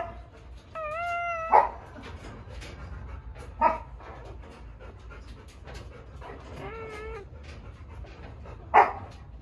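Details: An Akita gives drawn-out, tonal whines with a slight waver, broken by a few short, sharp yelps, while being helped to give birth.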